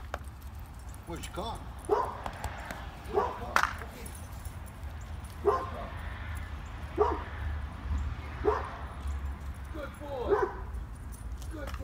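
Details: A dog barks in the background while another dog plays catch: short, sharp barks repeated every one to two seconds over a steady low rumble, with a person's voice praising the playing dog in between.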